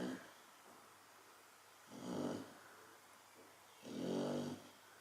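A Chow Chow snores steadily, each low, raspy breath swelling and fading roughly every two seconds. The rumbling snores stand out against a quiet indoor background.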